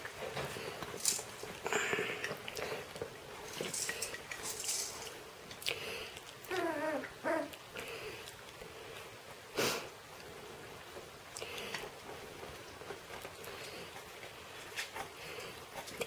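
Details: Shetland Sheepdog puppies indoors, giving a brief burst of squeaky, whining yelps and low grumbles midway, set against rustling, scratching and clicking sounds in a small room.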